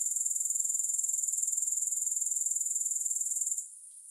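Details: Soothing grasshopper sound with no music: rapid, regular high-pitched pulses forming a buzzing trill for about three and a half seconds, then a sudden fall to a faint, softer hiss.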